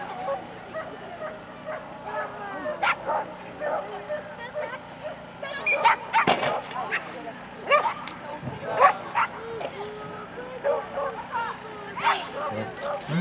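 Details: Border Collie at the Cherkasy Open Agility, the 20th Open Ukrainian agility championship, 24 September 2016; sharp, irregular barks and yips burst out amid a loudspeaker announcement in Russian and crowd murmur at the outdoor venue.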